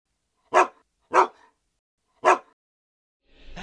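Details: Buddha, a pet husky celebrating his second birthday on 18 July 2012, eating a homemade dog-friendly organic cake. Three short, husky woofs, the first two close together and the third after a gap of about a second, then music begins.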